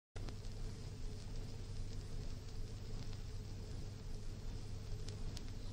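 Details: Steady low rumble and hiss with a humming drone and a few faint clicks, and no animal voice.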